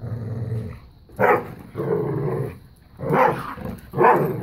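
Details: Tug-of-war growling between Bella, a five-year-old black lab pitbull, and a new pup: a deep sustained growl, then alternating sharp loud snarls and rumbling stretches, roughly one each second.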